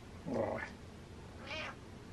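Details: Happy meows from Butters, a pet cat indoors: two short meows, the first near 0.3 seconds with a falling, lower tone, the second about a second later, higher and brief, over a quiet room hum.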